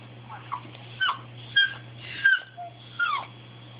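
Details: Bailey the dog pushing to get what he wants: five high, falling whine-yips repeated about every half second to second, each a quick bright cry dropping in pitch, with a low steady hum underneath.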